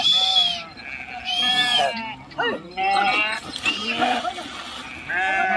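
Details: Sheep crossing a river, swimming and jumping into the water. Several overlapping quavering, harmonic-rich bleats come in bursts, some high and wavering, with brief pauses between them and faint background chatter.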